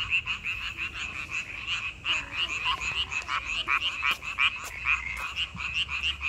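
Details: Frogs calling in May, a dense chorus of rapid, rattling croaks overlapping into a continuous pulsing trill, with sharp clicks scattered through.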